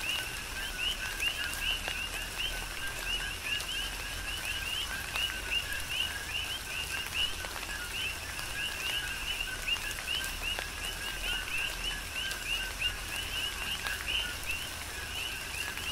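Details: Coqui frogs calling together in tropical rain on Hawaii's Big Island. A continuous rhythmic mass of short, rising two-part chirps, with scattered sharp raindrop clicks and a steady rain hiss beneath.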